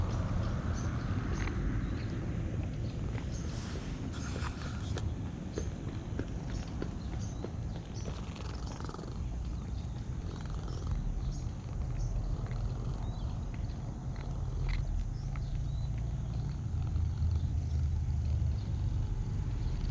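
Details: Purring from a cat under stroking hands: a deep, rapidly pulsing drone running through the whole stretch, with scattered clicks and rustles of handling and fur.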